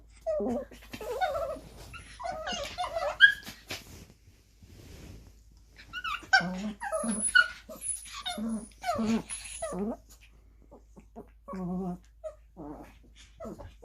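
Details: Two young pet dogs, a nine-month-old Maltese Pomeranian mix and a Lhasa Apso Chihuahua mix, playing together indoors: bursts of whiny, yodelling grumbles and short growly whimpers, with pauses between clusters and a few sharp clicks.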